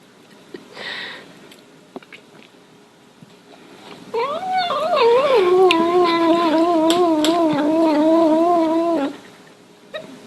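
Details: Indoor domestic cat giving one long, wavering, nasal meow that holds for about five seconds at an even pitch with slight wobbles, after a short quiet thump and faint rustling.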